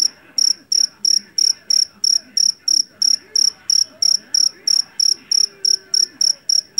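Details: Rice-field jangkrik jeliteng (Java cricket), a loud-voiced field cricket, gives a regular series of piercing, ringing chirps about three per second. Soft low background noise runs throughout.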